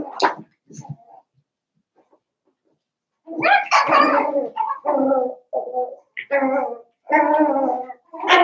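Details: Seven-week-old Cavalier King Charles Spaniel puppies from Daisy's litter in an indoor home puppy pen, giving loud harmonic whining whimpers in drawn-out bursts of about a second each, following a few short squeaks and a quiet pause.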